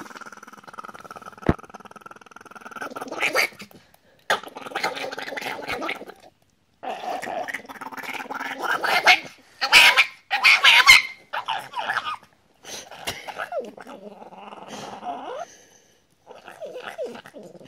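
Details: White Chihuahua wearing a blue/black vest, held by its owner, screaming in repeated harsh, rasping bursts with growly squeals and some tonal whines, broken by short silences, about once a second over nearly eighteen seconds.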